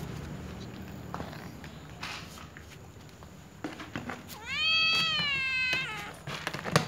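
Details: Little white cat meowing: one drawn-out, rising-then-level meow of about a second and a half with rich harmonics, after several seconds of quiet room noise and faint clicks.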